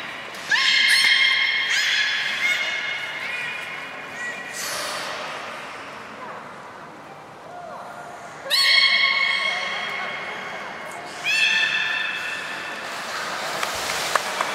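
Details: Belugas Gray, Nana and Nico in post-16:00 training, Port of Nagoya Public Aquarium, 1 January 2019. Three or four loud bursts of bright, many-layered squeals, each lasting a few seconds, separated by quieter gaps.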